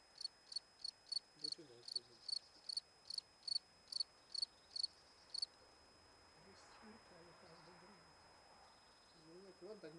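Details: Cricket peeking out of its burrow near a stone, recorded close up; a string of about twelve sharp, high chirps at a steady beat in the first half, then stopping, with people talking quietly in the background.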